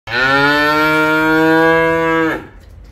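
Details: Simmental bull calf offered for sale, giving one long steady moo of about two seconds, rich and evenly held, ending abruptly, with a quiet room behind it.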